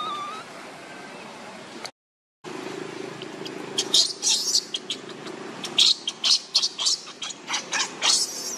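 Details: Baby monkey Lucie, hungry and begging for milk, cries in short high squealing bursts in the second half, one after another, after a quiet stretch with a brief gap of silence.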